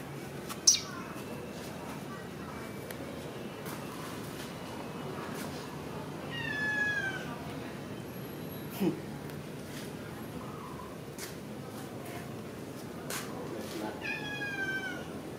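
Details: Domestic cat after a meal, giving two short, descending, whining meows several seconds apart over a steady low background hiss, with a few faint clicks.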